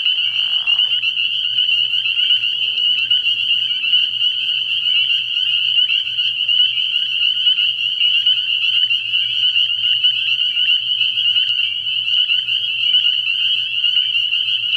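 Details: Night chorus of spring peepers at a frog pond early in the year: countless high, piercing peeps layered into a constant bright trill, with a brief low rustle near the start.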